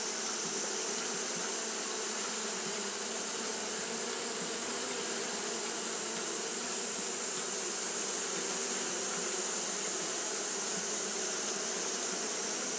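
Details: Japanese honey bees fanning during hot weather, heard as a dense, even buzz with low humming bands and a prominent high hiss, constant from start to finish.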